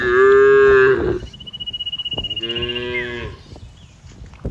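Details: Grazing cows in a wide green field; a loud, steady moo of about one second is followed by a softer, shorter lowing, with a thin, high whistled tone and soft rhythmic ticking behind.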